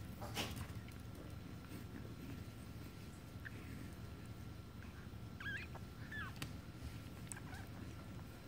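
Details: Tiny female Yorkshire Terrier puppy at a Michigan breeder, with too weak a suckle reflex; two thin, wavering squeaks in quick succession midway, amid quiet handling noise and a low indoor hum.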